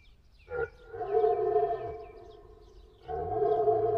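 A moose gives long, nasal moaning calls that hold a steady pitch, twice in a row.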